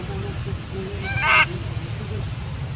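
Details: Baby monkey Sweet pea crying loudly because he is angry at his mother; one harsh, noisy, broadband cry of about a quarter second, with faint tonal murmurs before and after over a steady low hum.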